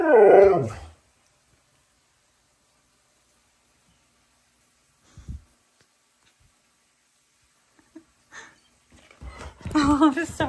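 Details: A pet Siberian husky shouts at its owner in a room, opening with a loud, quavering, pitch-bending yowl, then near silence with a few soft knocks, before a long, rising-and-falling vocal outburst at the close.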